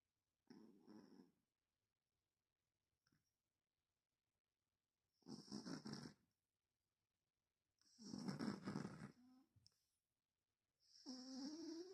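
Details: A cat named Sёma asleep and dreaming, snoring indoors; rough breathy rasping bursts about a second long, spaced by silences of one to four seconds, the last turning into a wavering whining tone.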